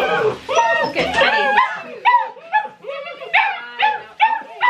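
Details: Distressed six-week-old Great Dane puppies at their first bath, which they hated, whimper in a string of short, high, bent cries roughly every half second, with a woman's voice briefly at the start.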